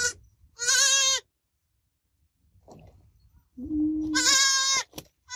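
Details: Baby goat bleating: a clipped start, then a strong quavering bleat, a faint murmur, and a low steady moan rising into another wavering high bleat, with brief clicks.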